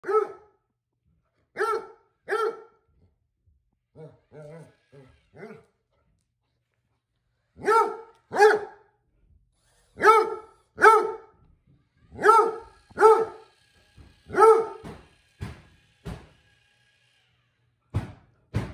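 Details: Basset Hound named Vincent indoors, barking in concern at a new robot vacuum; deep harmonic barks come in pairs and bursts with quiet gaps, several softer lower woofs near the start, irregular rhythm over about eighteen seconds.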